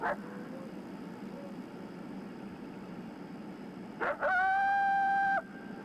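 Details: A coyote gives a warning bark-howl, an aggressive bark followed by a fluctuating howl, alerting coyotes in the area that something is wrong; typically given from 100 to 200 yards away.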